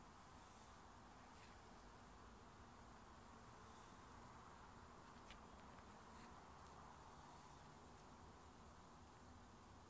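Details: Honey bees at an opened residential backyard hive in Nova Scotia during a beekeeping inspection: a steady, dense droning hum fills the clip without pause, with a few faint clicks and taps from handling the hive.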